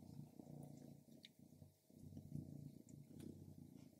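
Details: Stripes, a female pet cat, purring while eating grilled lamb; a low, rough, pulsing purr in waves lasting about a second each, with a short pause near the middle and faint chewing clicks.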